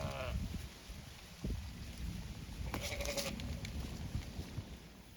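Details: Zwartbles sheep on a regenerative farm in County Kilkenny, Ireland, giving a short wavering bleat at the start. Rougher bleating sounds follow midway, with wind rumbling throughout.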